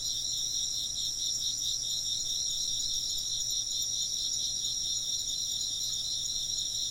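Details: Many insects trill at once in a continuous, rhythmically pulsing high chorus. The beat is slightly wavering and plays over a quiet low hum, unchanged from start to finish.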